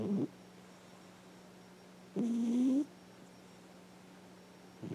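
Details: Dreaming house cat, nearly ten years old, snoring loudly in her sleep; a single low, slightly rising, moan-like snore of under a second, framed by faint snore edges and a constant appliance hum.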